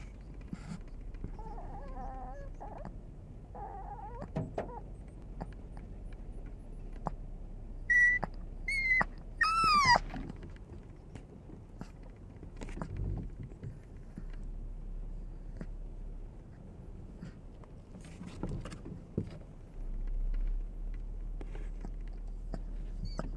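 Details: A Chihuahua sits on a car's dashboard and cries on and on in thin, high, wavering whines over a steady low rumble, waiting for its owner, who has got out of the car.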